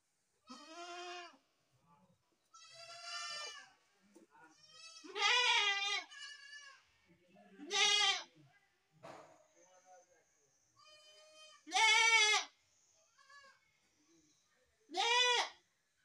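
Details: Several baby goats bleating in turn, about seven strong, quavering cries spaced one to three seconds apart over sixteen seconds, some louder and nearer than others, with softer murmurs between.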